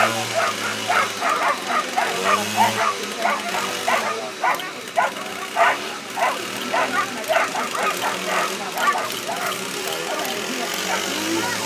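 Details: Ibizan Hounds at a Nordic championship coursing event in Tampere, 14 July 2013; rapid, uneven series of short yelping barks, close to two per second, with crowd chatter and a low engine hum in the background.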